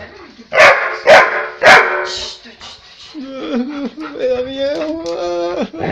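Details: Black Labrador Retriever named Onix, joyful and frisky after a bath, lets out three sharp, loud barks in quick succession, then a high, wavering, whine-like voiced sound runs for about two seconds.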